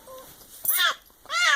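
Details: Diana, a pet cat nicknamed the princess, just woken from a snoring sleep and clearly upset: two loud, drawn-out, arching meows, each rising then falling, about half a second apart, with a faint voice murmur before them.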